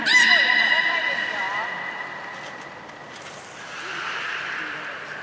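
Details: Beluga trio Gray, Nana and Nico training at the Port of Nagoya Public Aquarium on 1 January 2019, after the 16:00 public session. One bright harmonic whistle opens and trails off, followed by softer, fainter tonal sounds.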